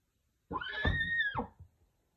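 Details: Pura Raza Española horse, filmed with a stallion and mare, gives a single call about one second long: a steady, high, tonal cry with strong overtones that falls away sharply at the end, over a low thud.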